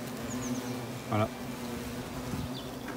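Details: Hornets of the European species going in and out of a treated nest: a constant deep buzz with a brief loud close pass after one second, then steady droning again.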